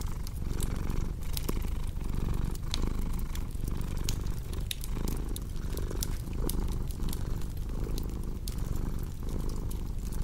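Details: Low, throaty purring from a cat, rhythmic rises and falls with each inhale and exhale, accompanied by frequent fireplace crackling and snapping clicks.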